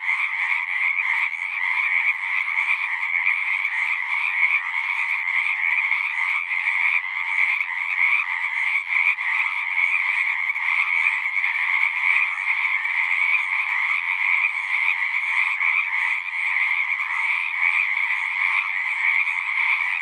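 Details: Frogs singing in a dense chorus at a pond in a horse pasture, recorded on a Zoom recorder: continuous overlapping trilled croaks forming steady bands, one brighter and higher, one lower, with no pauses throughout.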